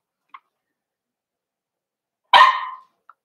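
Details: {'caption': 'Indoor puppy pen of Cavalier King Charles Spaniels, 4-week-old litter being socialized with older dogs; one loud clipped bark after a faint squeak, then silence.'}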